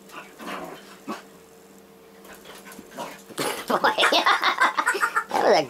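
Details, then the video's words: Two pet dogs, a labradoodle and a six-year-old basset hound rescued from a puppy mill, fighting indoors; quiet scuffling, then a loud burst of rough pulsing growls and snarls, rapidly repeated, with a faint background hum. "DOG FIGHT"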